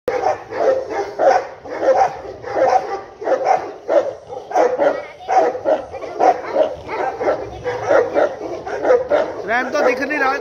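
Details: Native Tibetan Mastiff from Tibet barking in a steady run of deep, rough barks about every half second to second, with a human voice speaking at the very end.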